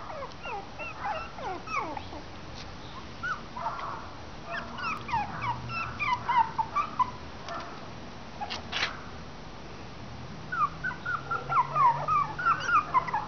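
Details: Westie/Maltese cross puppies, three weeks old, several together: scattered high whimpers and squeaks, some falling in pitch, come in bursts with quiet gaps, over a low background hum.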